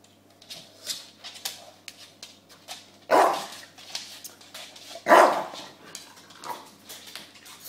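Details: Two loud, harsh barks about two seconds apart from James the bulldog and his pillow, framed by soft snorting huffs and small grunts in a small indoor room.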